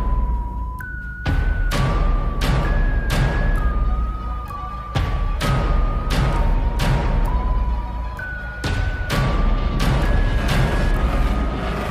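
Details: Music with no animal voice: steady electronic tones stepping between pitches over repeated sharp percussive hits, about four beats every two seconds.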